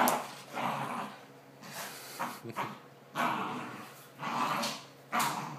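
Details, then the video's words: Two dogs tugging at a homemade t-shirt toy in play; rasping growls in several bursts, with short sharp bark-like onsets and brief whiny pieces between them. "playing tug"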